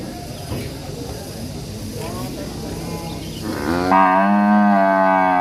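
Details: Angry ngamuk cattle in an Indonesian village: murmured distant lowing, then one loud, steady, strongly harmonic moo rising in volume from about four seconds and sustained to the end.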